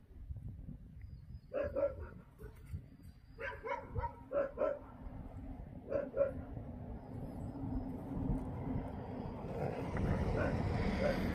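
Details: Jindo dogs encountered on Jindo, Korea, barking in short bursts of two or three sharp, ringing barks separated by pauses of about two seconds, over a steady low rumble of background noise.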